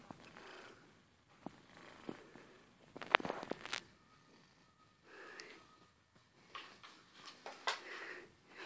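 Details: Old grey tabby tomcat, 16 years of age, lying content as he is loved and stroked, purring loudly in uneven rasping waves that swell and fade, with occasional louder rustles and clicks close by.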